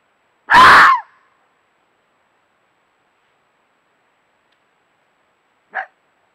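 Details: A fox in Bulgaria gives one harsh, hoarse scream-like call at night, then a faint short echo of it seconds later; it stopped in front of the camera glow to call, 1 November 2018.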